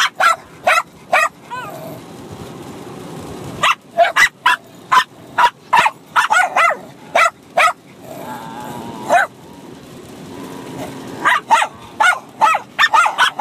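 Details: Two Bichon Frise dogs, a six-month-old puppy and an older dog, bark at each other while fighting and playing; sharp high yaps come in rapid bursts, about two per second, with short pauses and some whining between.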